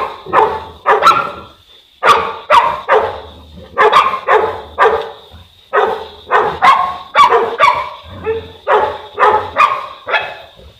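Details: Boerboel (South African Mastiff) from a couple named Enzo and Diva living in Egypt, giving deep, loud barks in quick bursts of two to four, separated by short pauses, with a steady faint high tone in the background.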